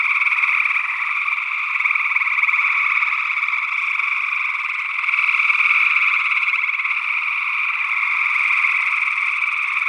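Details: Gray tree frogs in Northwest Wisconsin, early June 2022, recorded through two small condenser microphones. Massed rapid trills run on continuously, growing louder around the middle, with a second unidentified frog perhaps present.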